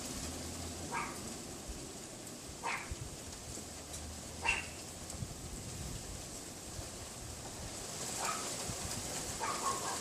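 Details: Neighbour's Pomeranian yapping out of sight beyond a wooden privacy fence, heard from a bedroom window on a windy afternoon, February 6, 2015; isolated single yaps every couple of seconds against a constant rushing wind.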